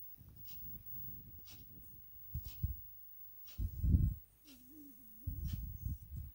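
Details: Pet cat named Chanel snoring indoors: low, rasping breath bursts swell and fade, one loud snore near the middle and a short whistling wheeze after it, with faint steady ticking once a second behind.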